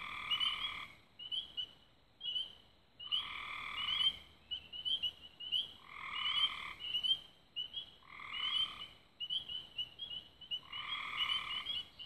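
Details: At dusk near Raven Rocks, Belmont County, Ohio, 24 May 2016, a frog chorus sings: high chirping trills throughout, with roughly one-second bursts of lower buzzy trilling about every two seconds.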